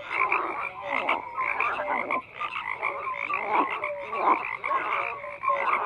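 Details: A crowded frog chorus of rough, overlapping croaks that swell and fade in uneven bursts, threaded with brief whistled notes from individual callers.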